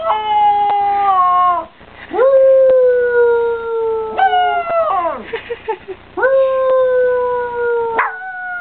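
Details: Young pet dog howling in the manner of a coyote: several sustained howls, each starting with a rising swoop then holding and gently falling, separated by short breaks and a few quick broken yips.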